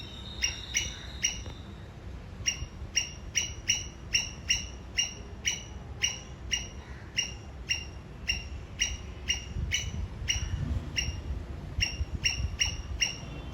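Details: A Sri Lankan squirrel gives sharp, high chipping alarm notes in quick rhythmic bouts over a low rumble, signalling toward an enemy.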